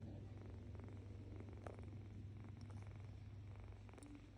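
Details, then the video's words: Female cat making a soft, low, continuous cooing rumble throughout, with faint light clicks and rustles over the top. "She always makes a cooing sound"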